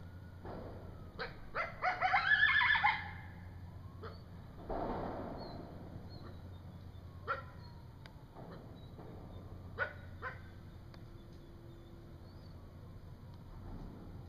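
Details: Coyote howling in the middle of the night in woods, apparently with a young coyote whimpering nearby: sharp yips and a thin, wavering howl over a low steady hum.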